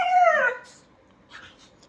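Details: Kiko, a pet dachshund, responds after being told to let everyone know it was bathed with shampoo: a single half-second whine sliding downward in pitch, followed by quiet and faint rustling.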